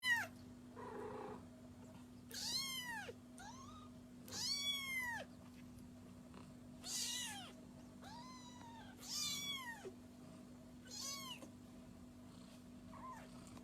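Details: Kitten meowing: about eight high, arched meows, each rising then falling, spaced unevenly every second or two, with a faint steady hum underneath.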